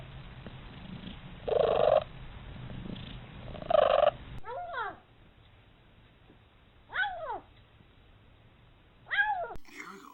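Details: Domestic cat making odd vocalisations: short downward-curving meows near seconds five, seven and nine, preceded by two louder pulsing bursts, over a faint steady hum.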